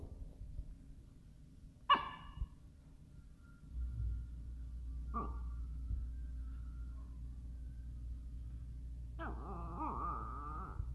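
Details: Miniature Schnauzer asking to play: a single sharp bark early, a softer short yip a few seconds later, then a long wavering, nasal whine at the end over a low rumbling background hum.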